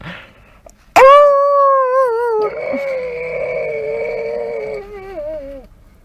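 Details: Dog eager to go for a walk lets out a long, wavering howl that bursts in after a brief quiet start, holds a steady pitch, then dips and slides lower before fading away.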